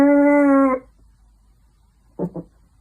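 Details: Pomeranian puppy howling indoors because it misses its mother or owner: one steady, rich, sustained tone lasting under a second, then silence and two quick soft yips.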